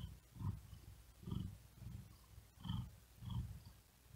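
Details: Resting cat on a wooden desk in the heat, purring in deep low rumbles that swell roughly twice a second apart, each surge topped by faint airy breath sounds, quiet gaps between.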